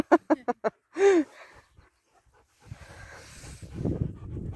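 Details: German Shepherd named Kane bursting into song: four quick, sharp harmonic yips, then a drawn-out, wavering howl lasting about a second that slides downward, followed by rustling and breathy outdoor noise.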